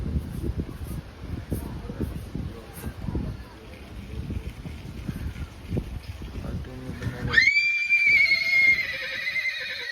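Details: A stallion in Surat runs out of control, injuring a mare and bystanders. Crowd chatter and shouting come first, then a loud, shrill, drawn-out whinny starts high and slowly falls, lasting to the end.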